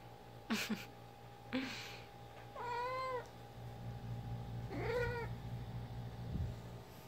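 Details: A female pet cat playing fetch with her favourite toy gives two clear, slightly wavering meow-like mumbles about two seconds apart. Earlier, sharp knocks and thumps from the toy can be heard, all over a low steady hum.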